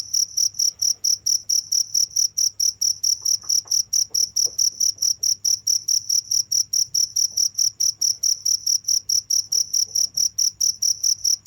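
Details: Nonstop chirping of crickets, evenly spaced high, bright pulses repeated a little over twice per second throughout, very regular, over a faint low background hum.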